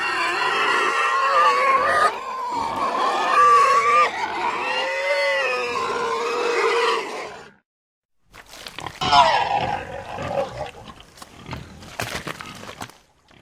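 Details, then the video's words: Pig squealing and screaming: a continuous harsh, wavering harmonic squeal for about seven seconds with rising and falling pitch bends, a second of silence, then choppier, broken squeals and grunting bursts to the end. "Как визжит свинья? 🐷 Звук визжащей свиньи"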